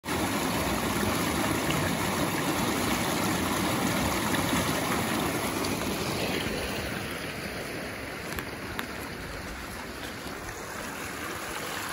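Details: Flowing water rushes and gurgles steadily throughout, softening slightly toward the end. No animal voices stand out above the stream.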